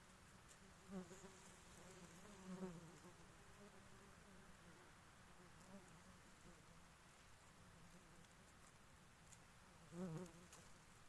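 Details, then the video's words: Queen honey bee giving short harmonic buzzing bursts near one, two and a half, and ten seconds, each rising and wavering briefly, with a faint continuous hum and hiss between them. "The Queen Bee ||Sounds Honey Queen Bee || रानी मधुमक्खी ||"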